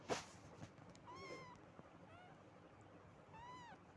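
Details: Two quiet, arched meows from a domestic cat, each about half a second long and a couple of seconds apart, over low background noise and a few clicks.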